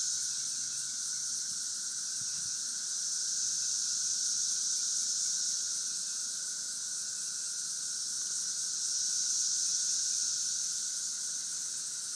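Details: Steady high-pitched cicada chorus from St. Louis, 2011, a continuous shimmering buzz that swells and eases slightly in loudness, backed by a thin lower tone and nearly nothing else.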